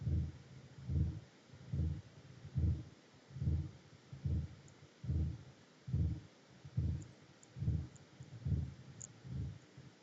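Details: A blue whale, a baleen whale, gives very low-frequency, deep rumbling pulses, repeated steadily a little more than once per second, partly infrasonic to humans, with dolphin chirping also heard.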